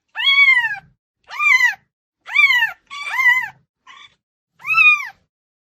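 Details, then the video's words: Cats meowing loudly to get attention; six drawn-out meows that rise then fall in pitch, about one per second, plus one short faint mew, with no other sounds. "SOM DE GATO MIANDO ALTO | Gatos miando para chamar atenção"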